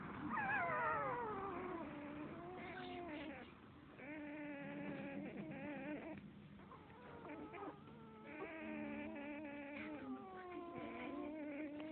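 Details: Seven-day-old Standard Poodle puppy at a dog café, during sleep, making drawn-out wavering cries that slide downward, broken into several long moaning phrases separated by short pauses.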